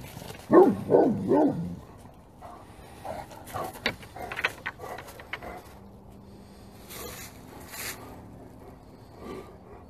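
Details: Several Great Pyrenees dogs barking all together with full effort: a quick run of three or four deep, resonant barks opens, followed by fainter scattered barks and knocks against low background noise.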